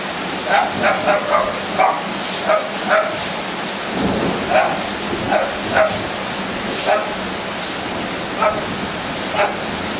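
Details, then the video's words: Pet dog barking at thunder while running in circles: short sharp barks repeated roughly every half second to second, in uneven bursts over steady background hiss. "Barking in Circles at the Thunder God"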